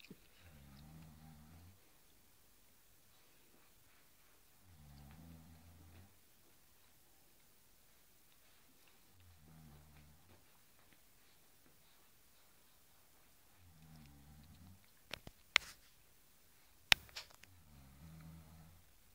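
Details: Cairn Terrier tussling with a blue cushion indoors, producing five low, gravelly growls roughly every four seconds, with a few sharp clicks or knocks near the end.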